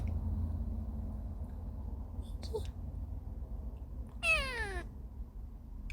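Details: Kitten arriving at a new home after travelling for days, a talkative young female: a low rumble of car or room noise, a faint squeak, then one clear falling meow near the end.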